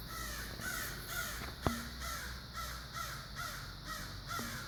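A fox gives a run of hoarse, yelping calls, about two each second.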